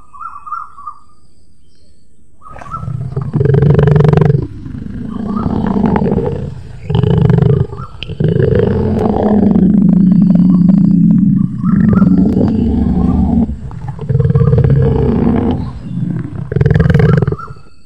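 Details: Sumatran tiger, a night hunter that can roar loudly. Deep, rumbling roars and growls come in repeated heavy bursts, with a long sustained growl in the middle and short pauses between outbursts.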